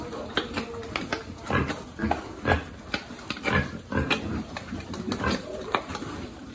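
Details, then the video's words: Piglets on a pig farm being fed, giving a busy run of short broadband grunts and squeals several times a second, with feeding noise and a faint human voice behind. "Feeding lovely piglet"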